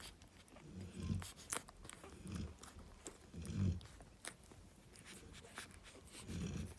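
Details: Low, rough snorts and snores from Narla, a female Cane Corso relaxing with her puppies, come in uneven bursts every one to two seconds, with scattered clicks and rustles.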